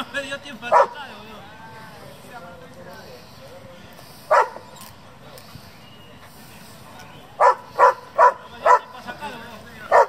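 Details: German Shepherd from a breeding and competition kennel, with isolated loud barks early on, then a quick run of four barks and a final one, and voices heard between them.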